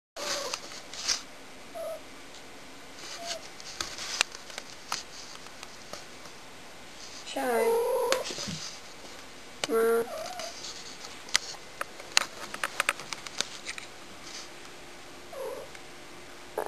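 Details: Shy, a pet cat being annoying, gives a few short, wavering mid-pitched meows spread through the clip, separated by quiet gaps, with sharp clicks and knocks and a person talking nearby.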